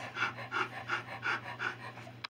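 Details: Alaskan Noble Companion Dog puppies in their early days, six males and three females: soft rhythmic panting, roughly six breathy pulses, steady low hum, ending in a sudden cut.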